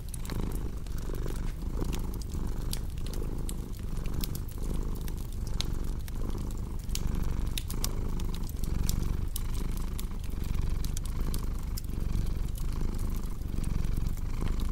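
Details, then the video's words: Domestic cat purring steadily beside a crackling fireplace, a continuous low rumble pulsing in breaths roughly every second, with sharp dry pops and crackles of burning wood scattered throughout. "Purring Cat with Cozy Crackling Fireplace Sound"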